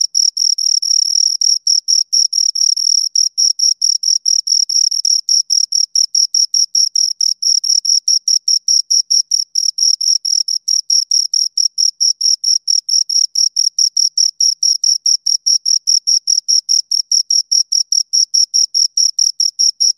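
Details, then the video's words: Two crickets chirping close up in steady, high-pitched scraping pulses, roughly two to three each second, with a faint higher overtone. Some chirps run together briefly. No other sounds break the clean, unbroken rhythm. "Two Crickets Chirp Sounds"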